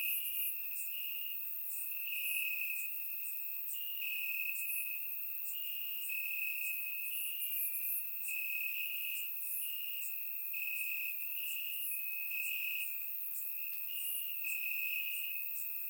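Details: Summer-night cricket chorus from grass in Bulgaria: many insects trill at a high steady pitch in rapid pulsed bursts with short pauses, overlapping lighter chirps higher up, forming a dense continuous ambience picked up by a surround microphone.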